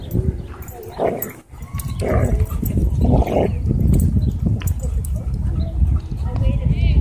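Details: Dog at a dog park during a conflict between a Bull Terrier and a German Shepherd, giving three sharp barks about a second apart, with people talking over and around them and low outdoor rumble throughout.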